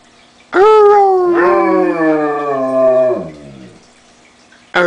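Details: A female German Shepherd howls like a wolf, prompted by her owner's howling, giving one long, smooth, rich tone that slides gently downward for about three seconds before trailing off, with another howl starting at the end.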